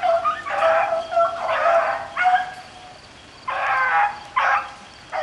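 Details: Rabbit-hunting beagles in rain bay in long, ringing bawls, each held about half a second, several dogs overlapping in bursts separated by quieter moments with rain hiss.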